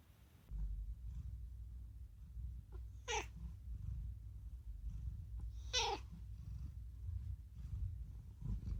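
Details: Talking rescued house cat Unagi indoors giving two short, sharp rising calls about three seconds apart, each a bright streak reaching high up, over a steady low hum in a small room.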